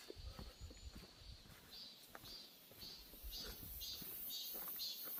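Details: Cicadas call in a birch forest in Gyeongbuk, Korea. A thin, high buzz swells into pulsed bursts, about two each second, while footsteps crunch and rustle nearby.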